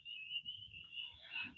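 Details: At night after floods, frogs call from different directions; one is heard at 1 o'clock and another at 5 o'clock. A steady, high, shrill ringing tone barely wavers over a faint low rumble in this night frog chorus.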